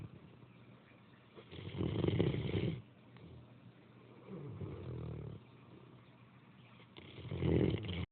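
A Great Dane snores heavily, with low, rattling breaths that swell and fade. The rough, throaty snores come in uneven bursts a few seconds apart, with quieter breathing between them.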